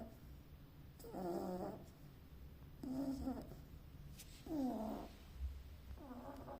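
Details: Sleeping beagle puppy snoring, four drawn-out nasal rasps about every one and a half seconds, each with a whiny whistling edge, quiet room hum between breaths.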